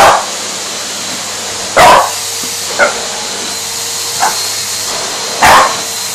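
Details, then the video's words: Indy, a French Bulldog facing a vacuum cleaner, gives a few separate short barks spaced a second or more apart, with the vacuum's constant droning hum underneath. "Indy vs vacuum cleaner 2"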